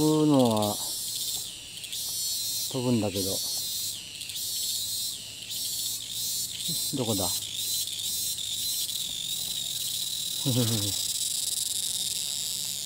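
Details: Distant cicada in Thailand that changes perch again and again, taking up its call as soon as it lands. A steady, shrill, grating drone runs the whole time, broken by several lower, falling, harmonic sweeps.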